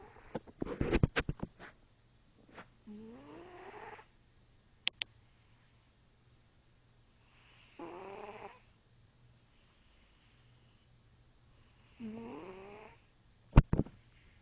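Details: Cat snoring: three raspy, rising, harmonic snores spaced roughly four seconds apart, with sharp clicks and knocking noises in between.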